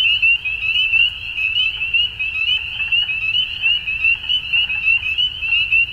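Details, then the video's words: Dusk frog chorus with shrill, fast-repeating notes layered into one unbroken high tone, loudness rising and dipping in short regular surges, quiet low hum underneath. "Frogs At Dusk"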